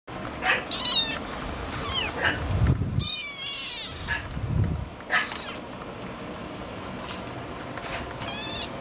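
A Scottish Fold cat gives a run of high, thin meows, some rising and falling in pitch.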